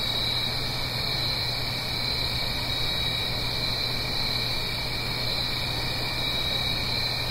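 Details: Autumn crickets at night in the Blue Ridge Mountains, recorded above a gentle stream. A sustained, shrill, evenly pulsing trill fills the clip against a steady hiss of flowing water and a faint low hum.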